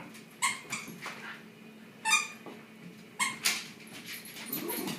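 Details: Pet Shiba Inu dogs playing tug of war at home: short harmonic yips and whines in quick bursts, about four sharp calls spread over five seconds, with a soft steady background hum.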